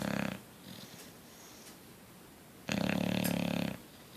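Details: Coach, a bulldog fast asleep, gives a rough vibrating snore, pauses through a faint breathy exhale, then produces another loud rattling snore of about one second.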